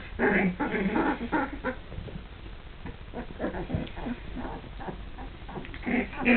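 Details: Two-and-a-half-week-old Border Collie puppies beginning to play, giving short squeaky whimpers and rough little growls in quick uneven bursts, loudest at the start and again near the close.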